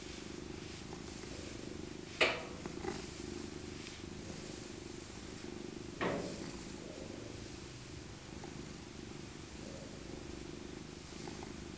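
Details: Maca, an aged tabby she-cat rescued as an abandoned kitten, purrs softly while being cuddled; a quiet, even rumble continues beneath two brief sharp clicks or knocks near the start and middle in a small indoor room.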